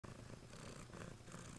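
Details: A pet cat purring while being cuddled indoors; a steady low rumbling purr runs through the whole short stretch, with a person speaking softly to the cat right afterwards.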